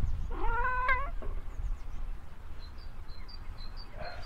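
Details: Cat meowing outdoors on a sunny day while a Ragdoll and another cat eat cat grass: one drawn-out, slightly rising meow lasting under a second, then faint short chirps from small birds and quiet background hiss.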